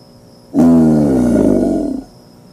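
An American alligator gives a single deep, rumbling, growl-like bellow lasting about a second and a half.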